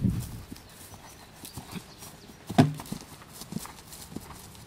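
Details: Young horse on its third cross-country schooling outing, learning to jump: irregular dull thuds of hooves on ground, a few scattered soft steps and one loud heavy thump midway, with faint background rustle.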